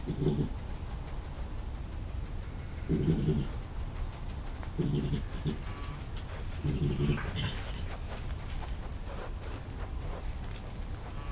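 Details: European badger Jerry, a rough-looking young male cornered beneath a Somerset barn by alpha male Ed, March 2018, IP camera: deep grunty growls pulsing roughly every two seconds, four bursts, then fainter scuffling noises.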